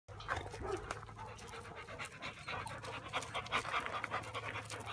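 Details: Wirehaired Vizsla puppy caught on sticky fly-trap paper, breathing in quick rough pants about two and a half per second, with rustling and scraping of paper throughout and a steady low hum underneath.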